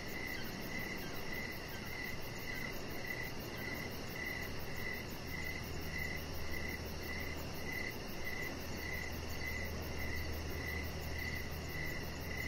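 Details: A cricket chorus in the evening beside a deck: crisp, high chirps fall at a steady pace near two per second. A very high, fine trill and a low hum fill the background.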